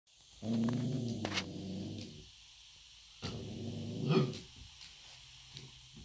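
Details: Puppy startled by his own reflection in an electric fireplace, giving a low rumbling growl of about two seconds, then a second growl ending in a short muffled bwoof, followed by a quieter yip.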